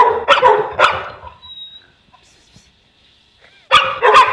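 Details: Boerboel, a South African Mastiff, one of a pair living in Egypt, giving a burst of three deep, loud barks, then a pause with a faint high tone before two more heavy barks.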